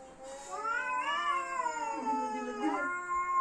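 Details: Fighting house cat's growling yowl that swells upward, bends, and drops into a low moan before rising again, loud and drawn out in an indoor room.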